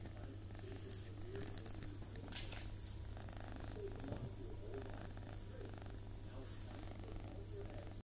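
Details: Indoor purring from a pet Toyger cat allowed on the kitchen counter, a continuous low throbbing rumble for the whole stretch, with faint voices and occasional light rustles.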